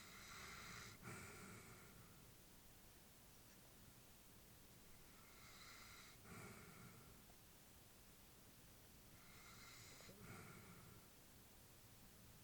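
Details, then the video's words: Sleeping elderly labrador bitch at home, slow steady breaths about every four to five seconds, three airy wheezes with thin whistled overtones, quiet snorting bursts at each turn of breath over a low background hum. "Elderly dog sleeping with breathing sounds"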